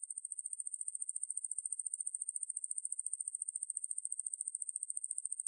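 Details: High, sizzling pulsed trill of the katydid Ruspolia lineosa, recorded in Korea in 2020 by the National Institute of Biological Resources; rapid evenly spaced ticks hold a steady level, nothing else audible.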